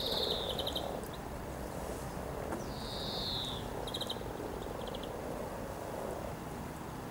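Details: A soft, rolling murmur from hundreds of mating frogs by the river at Cow Tower, Norwich, on 7 April 2013, under two falling bird whistles and short clusters of rapid high chirps.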